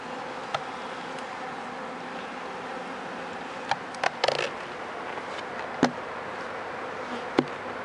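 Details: An opened honey bee hive being checked for wax moth and sickness gives an even, buzzing hum, punctuated by brief sharp taps and a short scraping burst from the frames.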